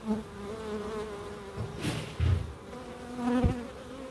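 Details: Bees in a small wildlife garden at an end-terrace house in Crookes: a low, steady droning hum with harmonic overtones, broken by a few soft thumps and brief louder bursts as insects pass close.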